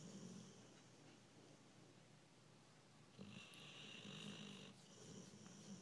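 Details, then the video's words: American Bulldog asleep, giving soft, rhythmic snores with a low rumble, then a longer whistling, wheezy inhale in the middle before the quiet breathing snores resume. "Snoring dog"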